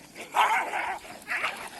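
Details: Dogs fighting on a morning walk, pet dogs clashing with street dogs: two harsh, noisy snarling bursts, the first longer, about a second apart, with a man shouting nearby.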